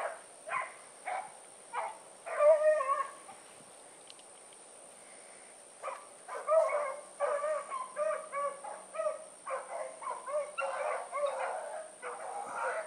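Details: Evening run of the Blackreek dog pack, Choco, Dino, Johnny Ringo and Mingo, 16 August 2014: a few spaced barks, then drawn-out bawling with held tones, a silent gap, and renewed overlapping barking and bawling from several dogs.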